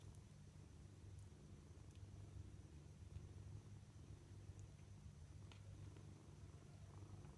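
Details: Kittens at dinner time purring: a low, steady rumble runs unbroken through all seven seconds, with a few faint clicks and ticks above it.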